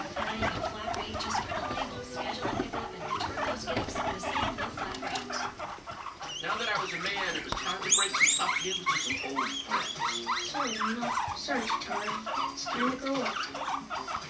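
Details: Guinea pigs Rumply and Fluff mating, the female five months old; quick chattering pulses and squeaks about three per second, growing louder and brighter midway with sharp high clicks.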